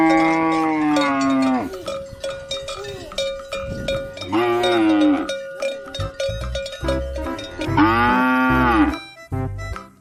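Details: Three separate moos from a farm cow, each about a second long with a falling end, over background music with a held tone and beats.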